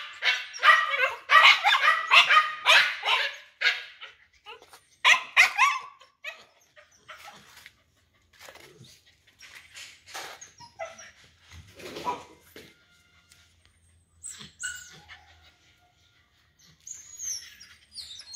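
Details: A big-bellied pet dog gives a burst of quick, harsh barks for about six seconds, then fainter scattered yips and whines amid quieter background sounds.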